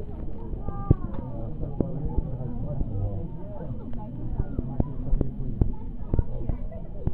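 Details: Crowded South African fur seals give overlapping wavering bleats and deep grunts, a constant low babble broken by sharp cracking knocks every second or so.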